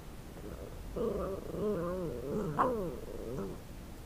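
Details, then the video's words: Male Shiba Inu growling while chewing a piece of pork bone, guarding his food; a wavering, harmonic grumble rises and falls in short undulating bursts over about three seconds, with low background rumble. "Shiba Inu Cooper Growls "I am not sharing!""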